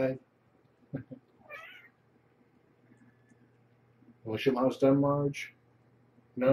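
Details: Evening dinnertime with Marge, a former pregnant stray at Purrfect Pals, and her five kittens born November 22nd, 2014: a brief wavering meow, then a loud burst of layered cries mixed with a low human voice indoors.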